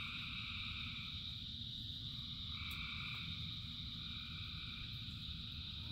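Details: Frog chorus in rain: a steady dense band of calling near the top, with softer trilled pulses forming faintly and fading, over a constant low rumble of rainfall.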